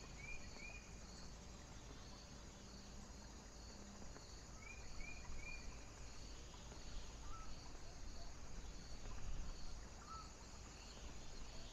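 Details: On a foggy night, crickets give soft, high pulsed trills at an even rhythm, partly masked by a constant heavy roar of strong wind.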